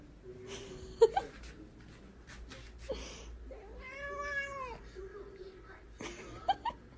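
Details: Pet cat indoors giving one drawn-out, wavering meow of about a second, rich in harmonics, between soft clicks and knocks, while a woman speaks Chinese to it about not eating its food.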